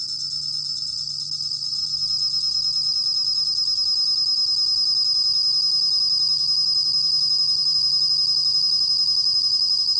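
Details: Bell cricket (곰방울벌레), a 2020 National Institute of Biological Resources recording: a steady, unbroken high-pitched ringing trill that grows slightly louder over the first seconds, with a faint low hum underneath.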